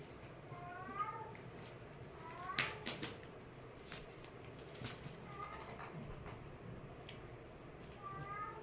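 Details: Play-fighting kittens mewing in brief, rising-falling high calls, a pair around one and two and a half seconds, then more at five and eight seconds, with scuffles and light knocks from the tussle.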